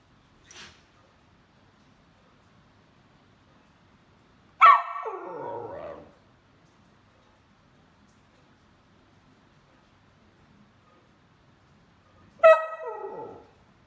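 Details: Roscoe, a hyper male whippet, lets out two loud, sharp barks about eight seconds apart, each with a bright harmonic onset that slides down into a drawn-out, whining tail. Near silence fills the gaps, broken only by a faint tap early on.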